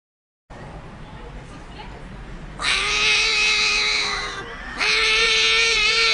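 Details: Cats fighting: a long, steady, strongly harmonic yowl grows suddenly louder, dips briefly, then resumes as a sustained, loud wail over a hissy background.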